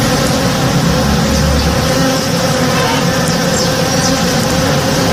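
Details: In the morning, many honey bees work a blooming tree in a house's backyard, making a steady, low, thick, continuous droning hum.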